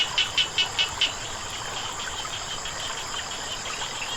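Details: A frog by flowing water gives five quick, sharp, high-pitched clicks in about a second, then falls silent. A steady shrill insect-like hum and a soft background wash continue throughout.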